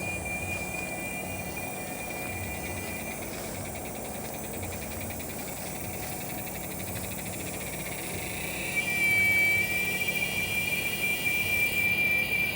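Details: Giant cicada (Quesada gigas), the second largest cicada in North America, singing live after rain on August 3rd; a steady high whining buzz with a pulsing texture grows louder near the end over a constant broadband hiss.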